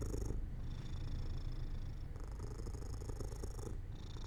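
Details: Domestic cat purring as it falls asleep near an open window in sunlight; a low, steady rumbling purr with breath-like phases, fairly quiet, with faint high hiss above.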